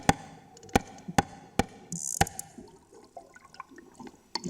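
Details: Sperm whale calf (Physeter macrocephalus) clicking at a swimmer at close range underwater, sharp broadband echolocation clicks about half a second apart over faint underwater sounds; so loud the body vibrates.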